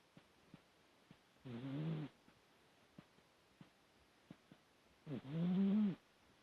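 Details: Dog snoring while asleep: two drawn-out rasping snores, each under a second, about three and a half seconds apart, with faint ticks between them in a quiet room.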